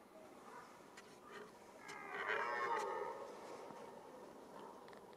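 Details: Red deer roaring in the rut, the mating season: one moaning, moo-like bellow of about a second, rich in harmonics and swelling then fading, preceded by fainter, distant grunts in a quiet setting.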